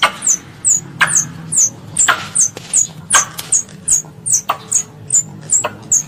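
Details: High-pitched squeaks from a squirrel calling its mother, falling slightly and repeated about every half second, with a few loud clicks and knocks and a low hum underneath.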